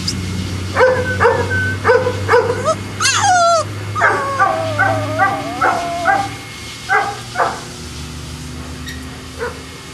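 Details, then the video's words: Boston Terriers at the Perrera Jamundí kennel, Cali, Colombia: a run of quick barks, then a rising-falling whine, followed by more rapid yappy barks in a series and a final faint yip, over a low humming background. "Boston Terrier"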